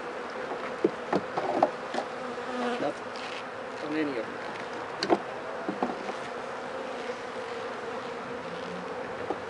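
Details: Steady droning hum of a honey bee colony at a hive opened to check whether the bees are sick after days of rain, with scattered taps and bumps from the inspection.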